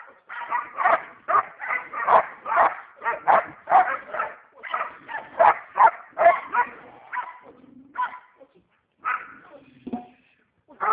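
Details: Fierce pet dog barking hard and fast, a dense string of loud, raspy barks that thins toward the end into a few spaced barks with quiet gaps.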